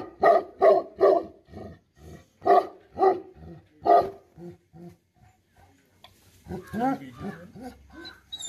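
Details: Angry Tibetan Mastiff, known as Bhote Kukur, barking in a run of deep, evenly spaced barks about two per second, pausing, then a burst of rougher, tumbling calls toward the end.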